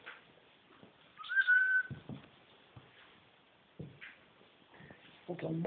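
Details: At Cattery Van Scarlettini, a Siamese cat, one of a pair called talking cats, lets out a single clear, steady, high meow lasting under a second, surrounded by soft voices and handling noises in a small room.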